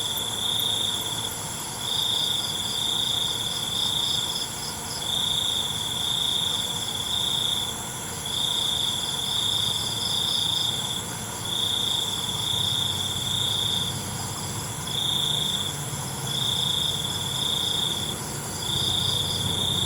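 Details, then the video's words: Night crickets trilling in repeated high-pitched bursts, each about a second long with brief gaps between, over a quiet hiss; a fainter buzzing shimmer sits just above the main trill. "ALUNAN CENGKERIK MALAM"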